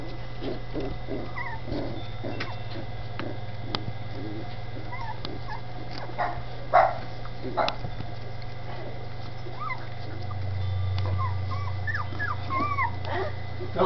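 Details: Several Dachshund puppies in Campinas, São Paulo, settled in a new little house: a long stretch of thin, high whines and squeaks scattered throughout, plus occasional soft yips and knocks, over a steady low hum.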